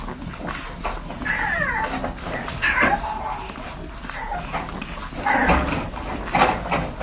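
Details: Newborn French Bulldog puppies while nursing: clear, high, thin squeaks and whimpers that slide downward, several in quick succession, over a bed of wet suckling clicks and rustling.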